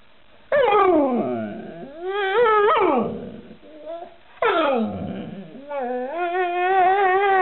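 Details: Alaskan Malamute in a funny pet compilation giving two bursts of yodelling, whining howls that slide down then rise in wavering tones, with a person's voice nearby.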